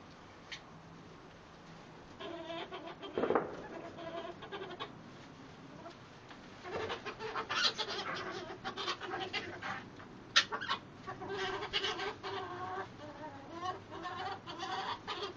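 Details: Young male ferret named Dollar, a hob, introduced in a shed on neutral ground to three older hobs and four jills for winter after roughing up females; harmonic squealing calls in bursts, loudest midway, with scuffling and rustling throughout.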